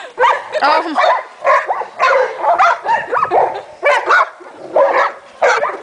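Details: Leonberger dogs wrestling and playing together in a group, making their own noise: a rapid series of short, rough, harmonic barks and yelps in bursts, spaced roughly half a second apart, overlapping one another.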